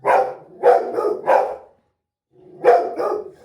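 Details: Rottweiler barking on seeing a street dog: three deep, rough barks about half a second apart, a short silence, then two more barks in quick succession.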